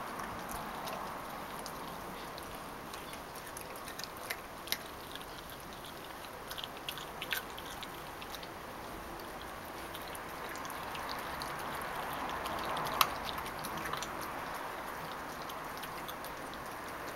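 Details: Elsa, a 9-week-old Labrador retriever puppy, eats a couple of sardines indoors. Soft, irregular wet clicks and smacks come a few times a second, with a steady low room hiss beneath.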